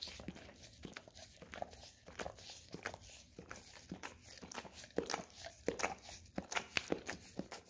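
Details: Pet Golden Retriever licking peanut butter from an Orapup tongue-cleaning brush; moist smacks and tongue scrapes about every second at first, growing louder and quicker toward the end, in a small indoor room.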